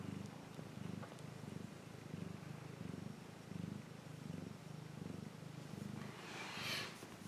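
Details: A cat's low, rhythmic purr rises and falls in breath-length cycles, with a brief soft rustle near the end.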